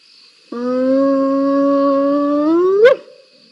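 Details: Spotted hyenas in a fight at a waterhole live cam, 7 November 2021; a sustained, steady, harmonic-rich whoop lasting over two seconds rises slightly and ends in a sharp upward yelp, with a faint constant hum behind.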